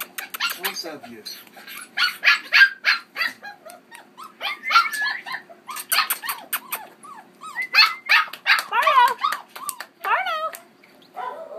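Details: Keeshond puppy aged 5.5 weeks romping with his two sisters in Baarlo, October 30: rapid irregular high yips and little barks, with wavering squeals and whines between, plus a person speaking softly.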